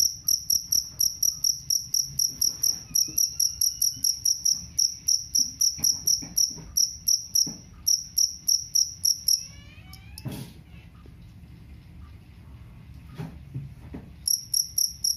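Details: Jangkrik kalung cricket, whose sound is said to chase off rats, giving rapid shrill chirps in a long run, then a pause with a faint squeaky rising sound and knocks before the chirping resumes.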